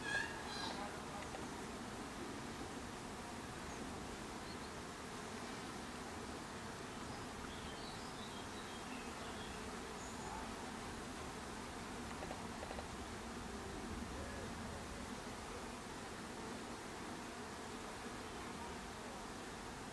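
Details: Bees at a hive fill the air with a steady, low, droning hum that holds unbroken throughout, with a few faint high chirps drifting in near the start and middle.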